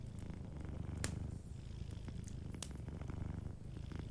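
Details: Sleeping cat purring softly by a warm fireplace: a steady low rumbling purr throughout, with sharp crackles and pops from the fire, one loud snap near the first second.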